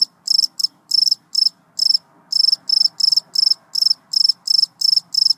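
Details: Clean close recording of one cricket's rhythmic chirping: sharp, high, buzzy pulses grouped into short bursts, repeated about three times per second over a quiet background.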